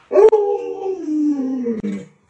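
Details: Alaskan Malamute Luoluo, a pet dog, gives a single drawn-out howl lasting about two seconds. It starts higher, slides gradually downward and ends in a short dip, with a quiet indoor background.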